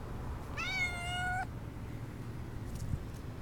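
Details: Stray female tortoiseshell cat, usually noisy toward a person, gives one drawn-out, steady meow of about a second, rich in harmonics and slightly falling at the end, over a quiet low rumble.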